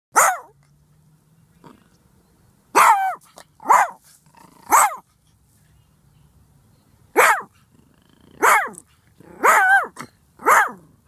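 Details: A ferocious Silky Terrier barking up close; loud, harsh barks with a growly edge come singly and in pairs, about ten in all, separated by brief quiet pauses.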